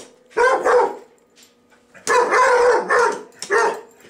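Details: Domestic dog barking at the household vacuum cleaner: two short bursts of quick, gruff barks, doubled and tripled, with a brief pause between groups and a faint steady drone behind.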